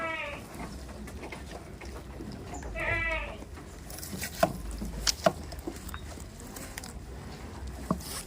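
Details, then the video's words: Tame goats on a farm bleating: two harmonic, wavering bleats near the start and around three seconds, followed by scattered clicks and knocks over a low steady hum. "GOAT FARMING🐐🐐| OUR ACTIVITIES WITH TAME AND CUTE GOATS, GOAT VIDEOS"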